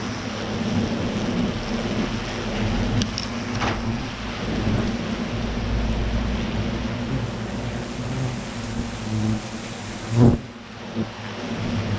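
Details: Steady broadband rumble like rain or wind with low engine-like hum throughout, a few brief knocks, and a sharp bang near the end; no animal voice is heard.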